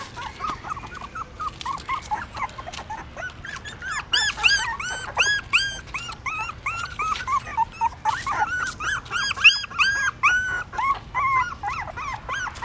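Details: A litter of newborn puppies at a pagoda stupa in Siem Reap, Cambodia, whining constantly while trying to suckle their mother; dense overlapping arched squeals, several per second, rising and falling in pitch.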